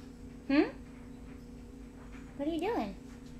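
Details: Milo the cat meows twice: a short rising meow, then about two seconds later a longer, wavering meow that climbs and falls away. A steady low hum runs underneath.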